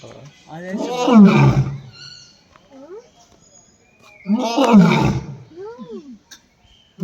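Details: A lion at Bannerghatta zoo gives deep, rumbling roars, two long bursts with shorter grunting calls between them.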